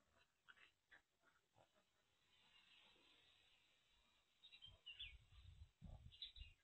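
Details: A sow on a wild boar farm in South Africa wakes her piglets on the coldest day of 2023 with a run of low, rough grunts in quick succession. Faint high chirps and hiss sound in the background.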